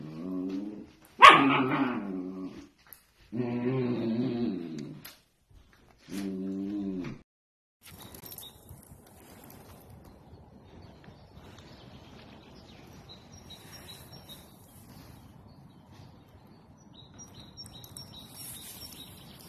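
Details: Pet Dachshund, or sausage dog, giving three drawn-out, tonal whining howls within the first seven seconds, with a sharp yip near the start of the second. A long stretch of quiet indoor background noise follows.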